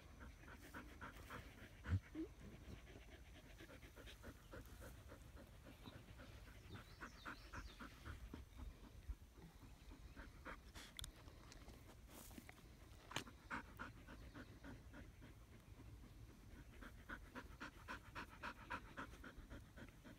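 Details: Under a willow tree, Australian Shepherds pant in the shade with fast, loosely regular huffing breaths, a few louder puffs rising above the quiet, continuous breathing.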